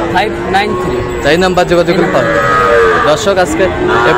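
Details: Sahiwal bull calves at a sale in Kushtia, Friday 9 June; a long, steady moo stands out midway among shorter overlapping calls and background talk.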